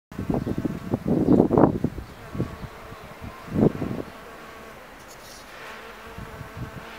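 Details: A female hairy-footed flower bee hangs from the tip of a Cerinthe major flower and vibrates to shake out pollen, a month after the flowers began blooming. Several short, loud buzzing bursts fill the first four seconds, followed by a faint steady background hum.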